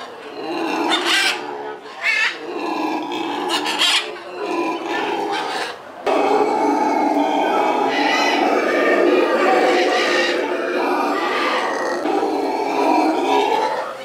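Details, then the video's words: Captive black howler monkeys at a zoo, four newly arrived females and a resident male and female in separate troops, howling loudly back and forth through a tunnel system to establish territory; dense, roaring, rasping choruses, continuous and overlapping, in repeated pulsing bursts. "Black Howler Monkeys Exchange Words"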